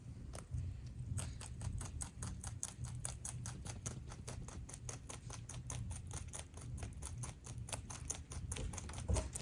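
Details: Pet rabbits HuanHuan and LeLe eat a fresh load of veggies, grasses and flowers. Rapid, steady crunching clicks come about five per second, crisp and dry, over a low indoor rumble with no other voices.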